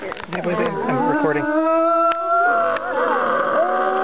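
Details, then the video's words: Several gray wolves at a wolf sanctuary in Golden, British Columbia, howl together, with long, steady tones overlapping over rougher, wavering voices. "Howling Wolves in BC Part 2"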